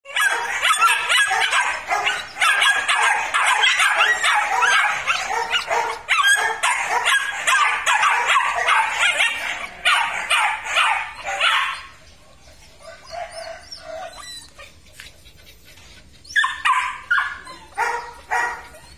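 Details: Belgian Malinois, black and red-black males from a litter at a Vietnamese breeding kennel: rapid overlapping high yips and barks for about twelve seconds, then a quieter stretch with soft whines before more sharp barking bursts.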